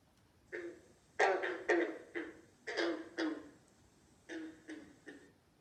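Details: A green frog, also called a banjo or bronze frog, in Alabama at the start of frog season gives low, twangy gunk notes, like a plucked banjo string, in an uneven series.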